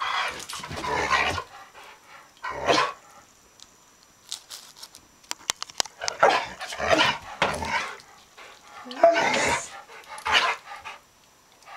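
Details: Bandit, a dog up for adoption at the Austin Humane Society, in the company of a cat, gives loud bright barks in scattered bursts, some doubled, with quiet gaps and faint clicks between.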